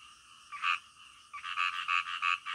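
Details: Night-time frogs giving a short loud croak, a pause, then a run of rapid pulsed croaks over a softer background chorus.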